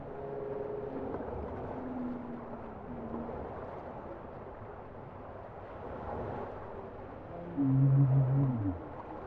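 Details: Bowhead whale song: faint wavering mid-pitched notes early on, then a louder, harsh low moan with layered harmonics near the end, set against continuous underwater hiss.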